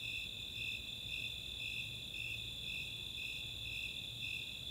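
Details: Snowy Tree Crickets and Four-spotted Tree Crickets in a summer nighttime chorus in the open space of Chautauqua, Boulder, Colorado: a steady high-pitched trill under evenly pulsed chirps repeating almost twice a second, continuous and unbroken, with faint low rumble beneath.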